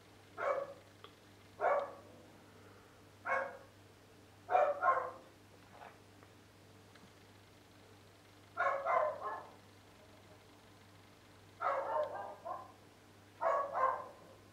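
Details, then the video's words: Dogs barking persistently, recorded 10 April 2013 near a home exposed to the noise all day for eight years; sharp single and doubled barks at irregular intervals of one to three seconds over a steady low hum. "Dogs Barking!"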